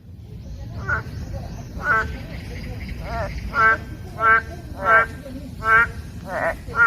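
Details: Boreal digging frogs in a wetland beside the Gwanggyo Ecological Environment Experience Education Center, Suwon, give nasal, bleating calls, each repeated about once every second over a low rumble.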